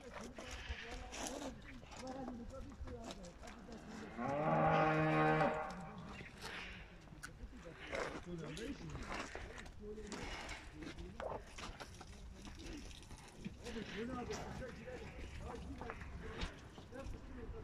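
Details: Fattening cow for sale in Turkey: a single loud, even moo of about one and a half seconds with rich harmonics, among background chatter and barn noise.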